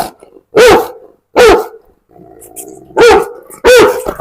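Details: Dog billed as the world's biggest, barking loudly: four booming barks in two pairs spaced about a second apart, with quiet low hum in the gaps.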